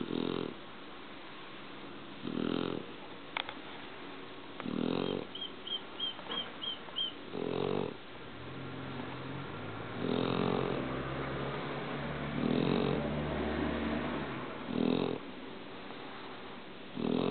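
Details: Sleeping Shar Pei giving a steady run of short, raspy snores, roughly one every two to three seconds, with a longer rumbling breath midway and a brief series of faint high chirping squeaks early on.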